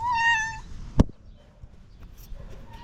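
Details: Jealous domestic cat angry at another cat lets out one short, level meow, followed by a sharp thump and quiet room noise, with a faint cry starting again at the end.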